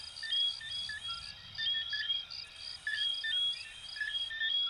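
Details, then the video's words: Coquí frogs from Venezuela and Puerto Rico, several overlapping whistled notes, some long and level, others rising, pulsing about once a second over a high insect-like chirping background. "Sonidos de Ranitas de Venezuela 🇻🇪 y Puerto Rico 🇵🇷 "Coquí""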